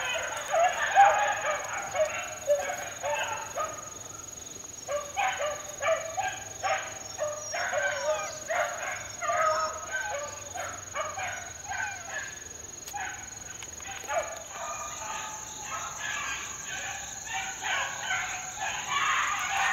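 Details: Young Beagle pups, about four months old, working outdoors in the wild in 2013: a run of repeated harmonic yelps and bays from several dogs, irregular but steady, with a constant high electronic whine over it.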